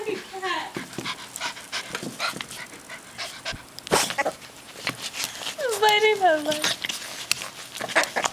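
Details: Rat terrier puppy playing with another dog. It gives short, high whining yelps that fall in pitch near the start, then a longer wavering whine around six seconds, with people talking throughout.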